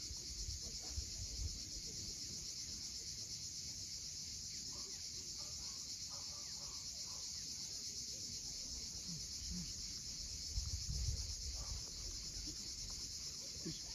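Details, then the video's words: Cicadas at sunset by the sea at Cape Fiolent, Crimea, give an unbroken sizzling buzz; low surges of breaking waves swell around the middle and later, with faint bird calls. "Cicadas at sunset."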